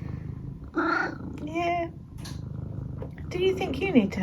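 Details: Indoors, Eric the pet cat gives a run of cute trilled mrrp calls: a brief chirp, a level warbling mrrp, then a twisting, wavering series near the end, over a soft purr and two people talking about dinner.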